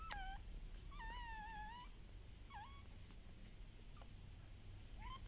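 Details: Active Shiba Inu puppies at a breeder in the Netherlands whining: one long wavering whine about a second long, then shorter falling whimpers spaced apart, over low background rumble.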